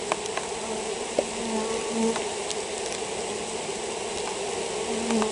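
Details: Buzzing of honey bees in a hive with European foulbrood: a dense, even drone with brief rising whines from single bees flying past, plus occasional faint ticks.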